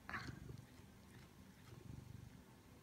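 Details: A male Siamese cat purrs in a low, soft, steady rumble that swells in rhythmic pulses.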